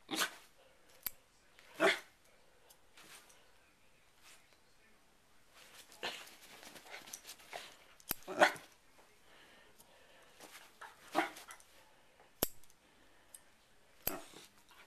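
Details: Pet dog Sherlock barks at a hair clip being opened and closed: a few sharp, scattered barks, about three in fifteen seconds, sit among sharp clicks and quieter rustling.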